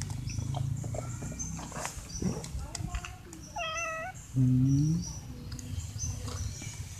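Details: Stray cats, three of them, meowing at the person who regularly brings them dry food and begging to be fed. A wavering, mid-pitched meow is followed by a lower, drawn-out call, with human speech and street noise around.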